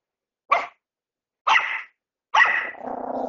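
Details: Bichon Frise puppy during crate and potty training, giving three short sharp barks about a second apart, the last trailing into a lower whine.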